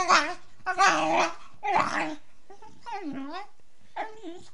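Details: Female Beagle puppy making typical beagle sounds during play: rough, throaty yowling bursts give way to quieter wavering, yodel-like whines, repeated about once per second.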